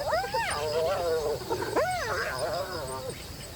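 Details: A gathering spotted hyena clan gives its laugh at nightfall on the Akagera savannah, Rwanda: arched, rising-and-falling cries mixed with a rapid, stuttering giggle.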